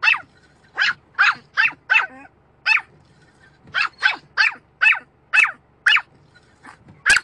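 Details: Dog barking at a windscreen wiper: sharp, high barks in quick bursts, about fourteen across seven seconds, several coming in tight pairs or runs with brief pauses between, over a faint low hum.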